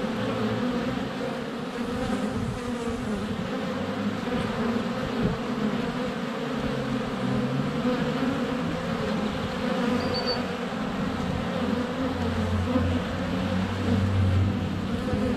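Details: Steady low buzz of honey bees surrounding a GoPro Hero 7 Black placed less than a foot from the hive entrance on a sunny February day; the drone swells and dips as bees fly past, with a faint bird note midway.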